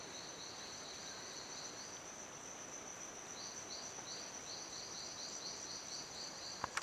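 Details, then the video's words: Silverstoneia flotator calling in an abandoned cacao plantation in La Gamba, Costa Rica; faint, rapid series of high chirps in bursts, under a steady high insect whine and broad background hiss, with a few clicks at the end. "Silverstoneia flotator calling in La Gamba, Costa Rica"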